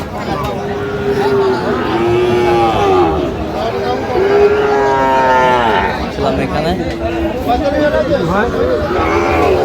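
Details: Sahiwal bull calves at a livestock market, among those bought by a farmer from Munshiganj, 9 August 2025: drawn-out, even moos of a second or two, a few in a row, over constant crowd chatter and talking.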